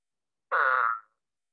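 An Eastern spadefoot gives a single short, nasal, cat-like moan that trails off after about half a second.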